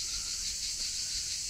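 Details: Very loud cicadas at a campsite in Narbonne-Plage, France, in hot summer weather, give a steady high-pitched buzzing drone with no breaks.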